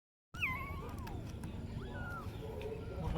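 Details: Kitten meowing several times: a high, thin, descending mew, then a slurred falling cry, and later a brief rising-then-level mew, with a steady low rumble of background noise underneath.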